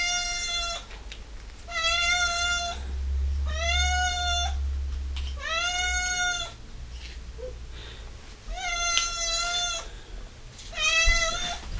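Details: Ming, an 11-year-old female pet cat, whinging insistently at dinner time while waiting for canned food to be served; six loud, drawn-out harmonic meows arrive every two seconds or so, each bending slightly in pitch, with low household rumble beneath.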